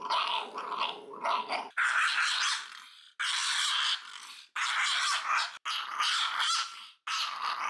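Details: Indoor nail trimming of Puri, a small three-year-old female Shiba Inu living in Fukuoka. She snarls and growls in about six rough, raspy bursts separated by short silences, some rising to a whining edge.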